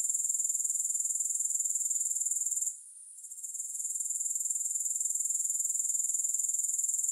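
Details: Sharp, high-pitched pulsed trill of grasshoppers, interrupted by a short quiet gap of about a second, after which the fast regular chirring gradually returns and continues.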